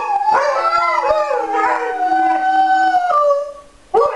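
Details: Alaskan Malamutes howling together: several overlapping long, wavering tones that slide up and down, with a steady sustained note held through the middle before the voices drop away briefly and resume.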